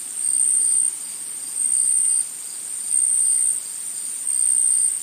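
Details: Forest insects keep up a shrill, high-pitched continuous drone, rising and falling in loudness in alternating swells about a second long, nothing else clearly heard.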